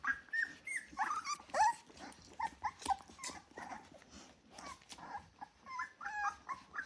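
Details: A litter of ten 24-day-old Rottweiler puppies gives a busy chorus of high, squeaky whines and short yelps.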